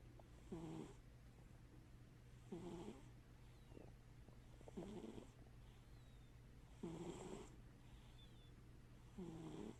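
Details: Scrapper the cat asleep with one eye open, giving five short snoring breaths at roughly two-second intervals; each a brief nasal rasp with a faint whistle, softly repeated over a quiet room hum.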